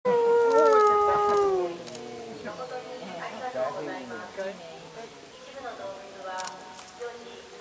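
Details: Timber wolf at a zoo in Japan giving a loud, smooth howl that holds steady and then slides downward over under two seconds, followed by fainter overlapping howls and wavering calls in the background.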